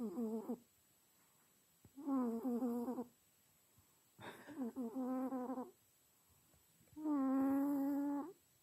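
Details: Domestic cat sweetly snoring in its sleep: harmonic, throaty rasping bursts of about a second each, repeating every two to three seconds, some pulsed, with quiet pauses for breath between them.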